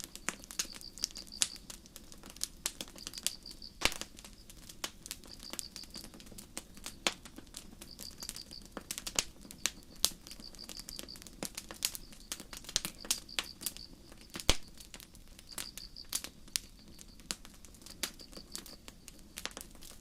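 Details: Crickets chirping on a starry night in a forest: short high pulsed bursts repeated roughly every second in a steady rhythm, beneath the sharp irregular pops and crackles of a campfire burning nearby.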